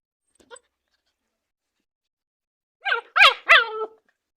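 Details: Playful German Shepherd puppies in a play-bite game give three fast, high-pitched yapping barks in close succession near the end, with a faint yip early on and silence between.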